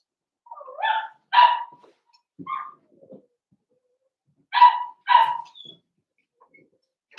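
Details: Blenheim Cavalier King Charles Spaniel puppies kept indoors in a home pen: a whiny bark and a sharp bark, a squeak, then after a pause two more crisp high barks a half second apart.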